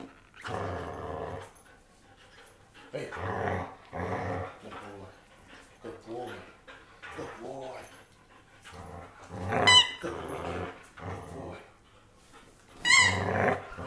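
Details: Indoor German Shepherd producing long, rough growl-like moans in bursts roughly every one to two seconds, a few with sharp high squeaks at the ends, mixed with a person's voice in a small room.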